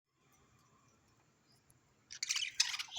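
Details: A near-silent room, then a second of loud rustling, clicking and scraping noises, with no clear animal call. The sounds are harsh and noisy, like chewing or handling objects, rather than a voice.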